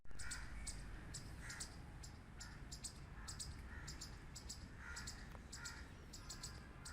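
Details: Squirrel barking loudly: a rapid run of sharp, harsh chucks, about two per second, some in quick pairs, with a low steady background rumble throughout.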